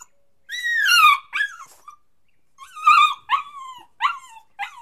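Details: Puppy crying and whining: high whistled whimpers that slide downward, given in short bursts of two or three, with brief pauses between; otherwise quiet background.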